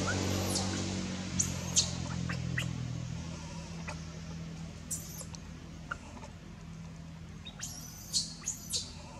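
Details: Baby monkey named Anissa at Angkor Wat temple, crying in pain after being hit by Aron and dragged across hard earth; thin, high arching squeals in short irregular bursts, some sliding upward, over a steady low hum.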